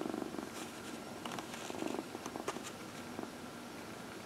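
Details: Dinah, a 14-year-old adopted cat, purrs softly on a lap while being massaged in the early evening, April 16, 2020; short low rumbling pulses mixed with light rustling and small clicks.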